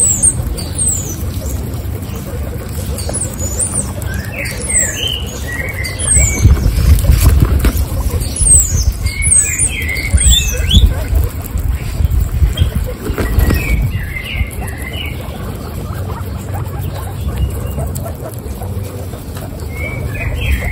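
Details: A herd of 26 female guinea pigs eating carrots, steady wet crunching and gnawing throughout, louder bursts mid-way, scattered short high chirping squeaks sprinkled across the recording.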